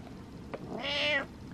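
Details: Pet cat demanding attention from its owner: a soft tap, then one drawn-out nasal meow lasting nearly half a second that swells and then fades, indoors with low background hum.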